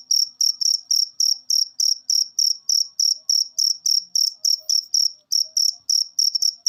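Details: Cricket chirping, used to stimulate pet birds into singing: a steady train of short, high, buzzy pulses repeated about three times per second, with no other sounds.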